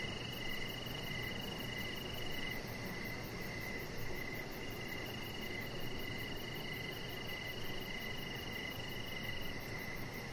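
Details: Crickets heard outside at evening beside a deck; an even series of brief buzzy chirps keeps repeating, a sustained high tone drops out briefly then returns, all over a heavy low rumble of ambient noise.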